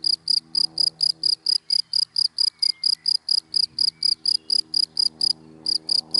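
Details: Cricket chirping in dry grass in the daytime: a steady train of short, high, bright pulses, about four per second, with one brief pause near the end and faint low rumble beneath.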